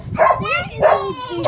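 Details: An angry dog during a dog fight gives drawn-out, tonal whining yelps, two main cries with a third starting, people talking in the background.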